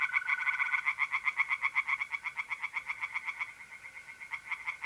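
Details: Singing tree frogs in a north-east Italian pond on a mid-April night. A dense, unbroken series of rapid, rattling pulses, about four per second, dominates throughout. A faint mole cricket trill sits beneath it early on and again near the end.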